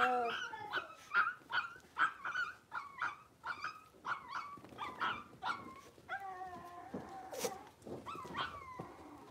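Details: Five blenheim Cavalier King Charles Spaniel puppies, born at New Year's, newly moved to a big indoor pen; rapid high-pitched yips repeat about twice a second, loud and bright at first, then softer, ending in a few drawn-out whines.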